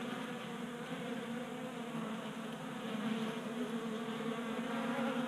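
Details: Wing hum of several honey bees feasting at a 3D printed feeder indoors in a Colorado garage during unseasonable January warmth, a continuous droning buzz that swells slightly louder toward the end.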